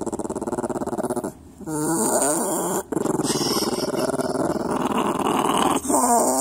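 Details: Domestic dog producing a continuous rumbling growl with wobbling, moaning pitch bends, interrupted by two short silences before the grumbling resumes steadily to the end.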